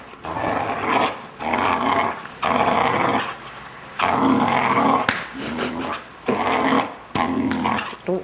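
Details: A six-month-old male Vizsla makes odd, drawn-out growling groans in bursts of about a second, with short pauses between; he always makes these weird noises when his owners do this particular thing.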